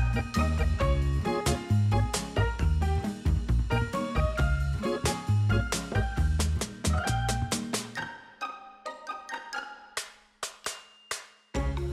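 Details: Upbeat swing-style jazz with piano and plucked notes plays throughout, ending in sparse staccato chords, with no animal sounds.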